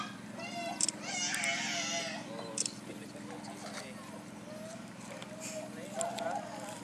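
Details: Meerkat calls: high, harmonic chirps and squeaky peeps over a steady low hum.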